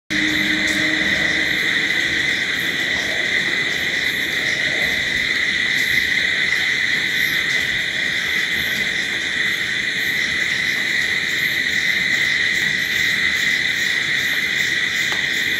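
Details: Crickets at night form a continuous, unbroken high-pitched chorus of steady ringing trills with no pauses. A faint low tone appears briefly near the start.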